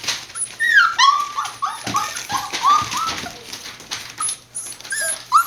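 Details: Several Border Collie puppies born 19 September 2020, recorded 1 November in Fukiage, Kagoshima, Japan, whining and whimpering in high, sliding cries that rise and fall, overlapping in quick irregular bursts with faint yips.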